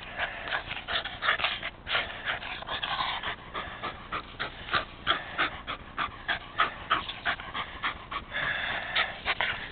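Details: Jack, a rescued Rat Terrier, pants rapidly while playing fetch with a ball, his favourite game; quick breathy huffs come about three per second, rough and uneven, with no other clear sounds.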